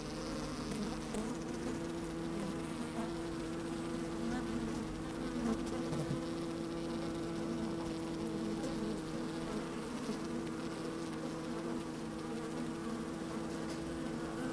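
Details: Steady hum of honey bees moving about inside an opened hive on a sunny, slightly windy day, picked up by a microphone lowered into the hive; dense continuous drone with shifting overtones and occasional faint knocks.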